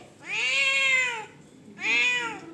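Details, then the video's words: Rowdy pet cat meowing on demand: two loud, drawn-out meows, the first about a second long with an arched, slightly falling tone, the second shorter, separated by a brief pause in a quiet room. "Rowdy cat 🐈 on Demand"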